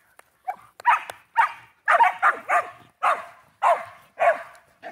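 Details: Playful Shelties with a new Chuck-It flying squirrel toy bark steadily, about nine sharp barks in under five seconds, close and loud.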